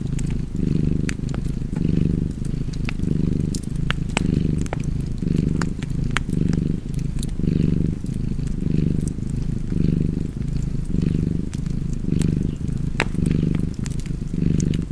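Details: Purring house cat near a warm fireplace: a continuous deep rumble rhythmically swelling with each breath, just under once a second, accompanied by irregular crackling and snapping from the flames.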